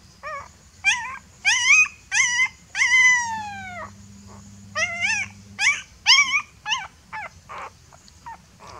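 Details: Fearful puppy crying for its mother: rapid series of piercing whines and yelps, many short and arched, one longer falling cry, about a dozen calls in quick succession, fading toward the end, faint hum beneath.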